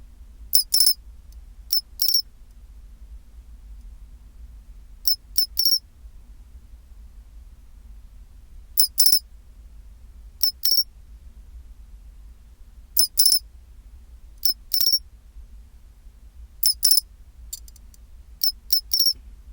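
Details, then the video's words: Chinchirorin song of a pine cricket, temperature 24 °C. Clear high metallic phrases repeat roughly every two seconds, each a quick chirp and then a longer bell-like trill, with a faint low rumble underneath. "チンチロリン Sound of pine cricket"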